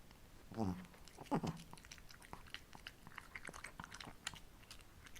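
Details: Female Shih Tzus Ssamong and Jinsang eating simple homemade treats indoors in hot, humid summer: soft irregular crunches and clicks of chewing, with two short voiced sounds near the start and a quiet room background.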